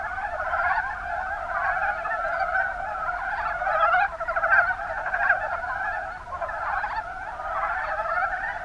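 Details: Kuma Basin, Kumamoto, Japan: a crowd of Mountain brown frogs croaking together, short knocking notes repeated irregularly and layered into a thick, bubbling wash of sound, slightly louder bursts around the midpoint.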